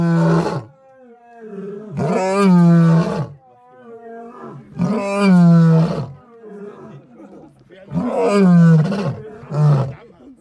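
A lion gives deep, rumbling roars, each swelling and fading, repeated about every three seconds.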